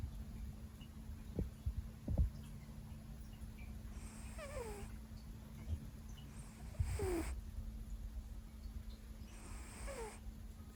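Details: Leo, a Siberian cat, asleep deep into a five-hour nap after a long workday, snores softly: three breathy drawn-out snores, each with a thin falling whistle, a few seconds apart over a steady low hum.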